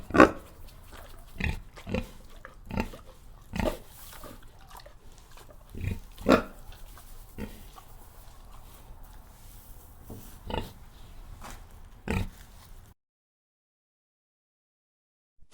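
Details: Pigs giving sharp, isolated grunts and squeals roughly once a second at first, then sparser, before the sound cuts off into silence near the end.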